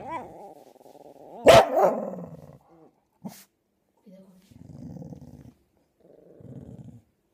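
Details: Luke, a fox terrier puppy, with Dafne, a chow chow mix, in a back-and-forth exchange; a wavering whiny growl leads to one loud sharp bark, then a brief clack and quieter low grumbling growls.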